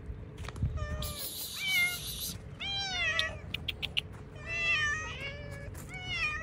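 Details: Hungry cats fed cut fish outside give a rapid run of harmonic meows, several bending downward, a few overlapping, mixed with a broad noisy burst near the start and sharp clicks of eating or handling.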